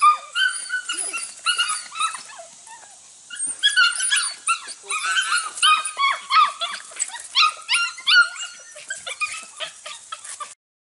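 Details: Registered Border Collie pups aged six to eight weeks, two litters bred from cattle-working lines, meeting goats for the first time; steady, overlapping high-pitched yaps and whines repeat rapidly for about ten seconds before stopping abruptly.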